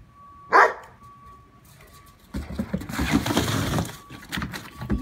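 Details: Poodles at play in the season's first snow, one in a protective collar; a single loud bark opens, followed by a rough stretch of scuffling, panting and rustling play noise.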